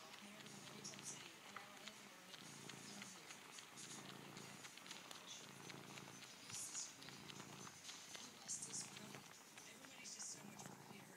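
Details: Female cat Maui kneads her blue-green blanket with her front paws and suckles it as a kitten would, purring steadily. The low, throbbing purr swells and fades in regular cycles. Soft rustling and a light background hiss accompany it.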